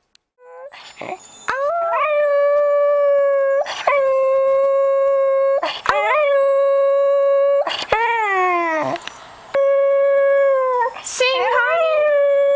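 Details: A Cocker Spaniel, filmed in June 2008, "sings" on cue as the owner repeatedly says "sing" over music, howling in long, steady, tonal notes broken by brief pauses and sliding yips.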